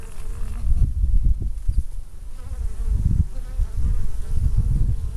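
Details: Honey bees in Minnesota on a mild November day, around 60 degrees, returning from foraging with orange pollen on their hind legs while stockpiling supplies for winter; low droning hum that swells and fades in pulses, with a steady background rumble.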